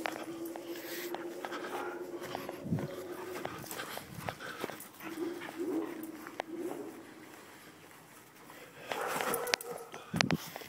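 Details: A pet dog at play with its owner, making low, drawn-out whimpering and grumbling tones with faint panting, broken by scuffles and a few sharp knocks and thuds near the end.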